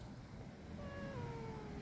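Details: Cat meowing as a mother cat and two kittens gather for dinner together, the kittens braving the cold; one drawn-out, slowly falling meow over a low rumbling background, with a woman's voice coaxing them to eat before and after.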